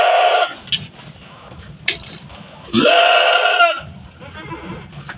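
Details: Farm goat during kidding, two young born back to back; a brief bleat at the start, then one long, tremulous, drawn-out bleat lasting about a second, with soft background murmuring.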